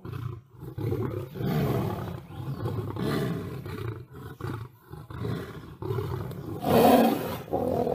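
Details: Lion battling a tiger, with a sustained rough growl rumbling almost continuously, broken by a short dip, then a sharper, louder snarling roar near the end.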